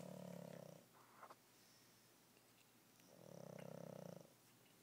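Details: Pug asleep and snoring, a rough, throaty rattling breath at the start and another about three seconds later, each close to a second long, separated by quiet with a faint snuffle.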